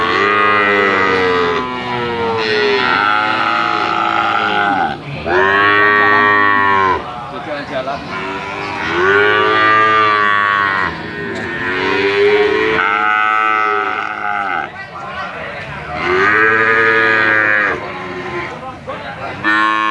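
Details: A calf gives a series of about five long, tuneful moos across twenty seconds. Each call swells and sags in pitch, with short pauses between them.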